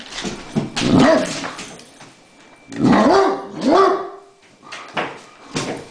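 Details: A Great Dane barks at a remote-control helicopter that has upset him, with deep, rough barks and some whining, pitch rising and falling in short bursts.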